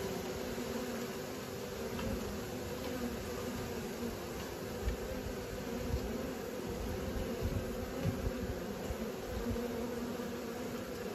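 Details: A soft, continuous droning buzz from honey bees learning to fly, layered over a rumbling low background, with light scattered ticks through the middle.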